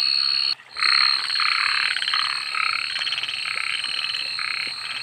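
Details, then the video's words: Night frog chorus: bursts of rapid, rattling croaks in short blocks after a brief pause near the start, with a continuous shrill insect-like tone above. "suara kodok dimalam hari"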